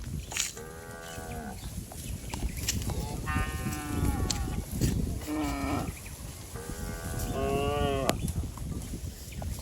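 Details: Cattle in a herd bounding down a green hill in the countryside give about five moos in quick succession. Some calls are short and others rise and fall, over constant low rumbling and clatter.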